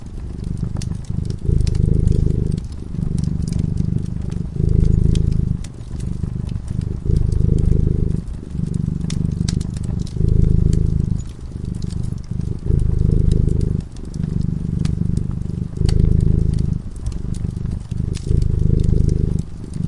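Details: Sleeping cat by a crackling fireside purring continuously, its low throbbing rumble rising and easing in regular breath-length surges, while the flames snap and pop in the background.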